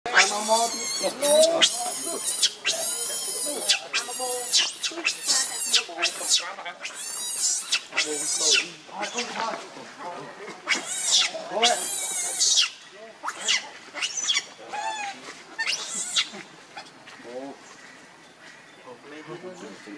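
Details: Hungry baby monkey crying to its mother for milk: bursts of shrill, harmonic screeches and wavering squeals, many arching high then falling, coming in rapid runs with short pauses between.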